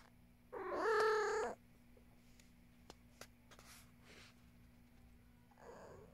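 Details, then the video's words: A domestic cat named Luna meows in the morning around breakfast: one loud, drawn-out harmonic meow lasting about a second, followed by faint clicks and quiet room noise, with a soft short call at the end. "Simple sound the cat"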